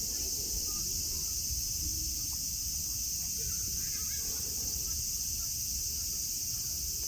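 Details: Cicadas droning in Nara Park, Japan, under blue sky among green hills and grass with friendly deer; a steady, high-pitched shimmering buzz holds unbroken throughout, over a low rumble of background noise.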